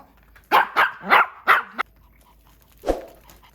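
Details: Three-year-old male sable Pomeranian barking indoors during his birthday party: four sharp barks in quick succession within about a second and a half, a pause, then one softer single bark in a quiet room.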